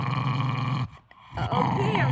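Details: Henry, a Jack Russell Terrier, growls low and steadily, pausing briefly before rumbling again, guarding his beloved stuffed monkey when someone asks for it or reaches to touch it.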